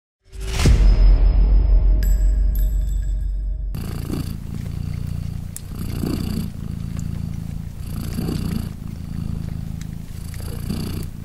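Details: Polina, a British Shorthair mother cat with three 3-day-old newborn kittens, purring. A sharp thump and bright chiming tones open the recording, then a low, steady rumbling purr takes over, swelling and fading with each breath.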